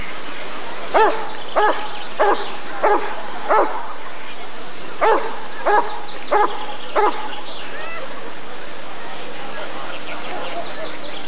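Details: Rottweiler at the 1994 ADRK Körung breed survey barking in two rapid bursts, five deep barks then four, each about half a second apart, with a short pause between the runs and faint background noise.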